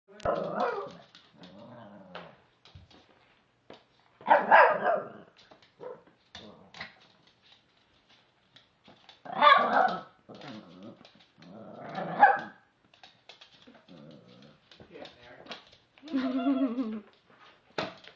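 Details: Puppy playing with mini balloons, letting out loud rough bursts of barking and growling every few seconds, with quieter grumbles and yips in between, in an otherwise silent room.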